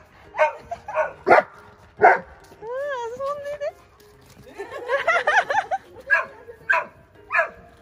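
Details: Bernese Mountain Dog Belle, a one-year-old female, playing with a Golden Retriever friend at Dog Run Moroyama in Saitama, Japan; several sharp, separate barks and a wavering whine midway, with people talking nearby.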